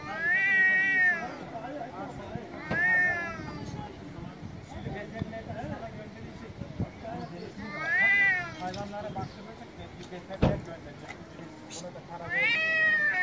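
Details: Loud angry cat meows, four wailing calls spaced irregularly over thirteen seconds, each arching up then sliding down, over a murmuring indoor background with a sharp knock midway.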